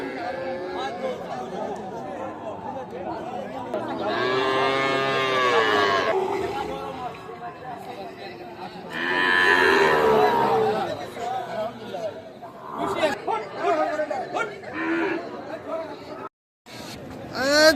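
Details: Sahiwal calves at the Ambari cattle market in Parbatipur, Dinajpur, Bangladesh, on Friday 27 December 2024: two long, low moos at about 4–6 and 9–10 seconds, over steady crowd chatter and background music.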